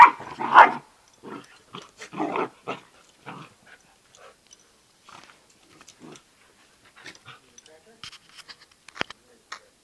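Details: Bernese mountain dog puppy and Yorkshire terrier fighting, two pet dogs indoors: a cluster of loud, harsh barks and growls in the first seconds, then softer scattered yips and scuffling, with people's voices calling in the background.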